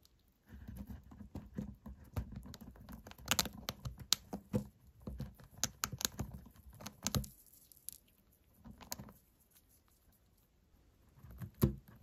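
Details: White hamster crunching a tartlet made with carrot and beet, indoors in a small room; irregular dry crackling bites and crunches in bursts, with quieter pauses between mouthfuls.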